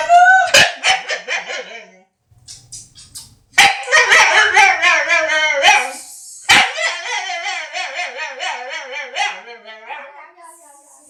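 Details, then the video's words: Dog producing funny noises: a quick pulsing run of yips, a pause, then long warbling whine-howls with rapidly trembling pitch, a sharp yelp and a fading wavering moan. "Funny DOG MAKES FUNNY NOISES"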